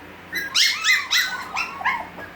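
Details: Havanese puppies at six weeks old crying indoors in a small room: a short run of high, whiny yelps and whimpers, each bending up then falling, about five cries in two seconds.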